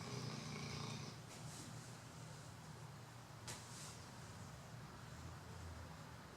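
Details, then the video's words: Chocolate Labrador Retriever Bro snoring during a Sunday afternoon nap; a low rumbling snore in the first second, then steady breathy rasping with a couple of faint clicks. "Labrador Chocolate - Bro roncando"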